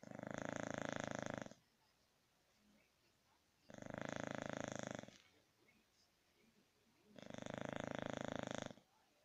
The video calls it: Snoring English Bulldog